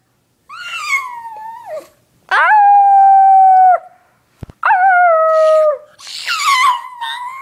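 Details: Pet dog howls three times, each a long steady tone with clear harmonics lasting one to two seconds and ending with a slight downward drop, followed by a rougher wavering howl, with short gaps of silence between.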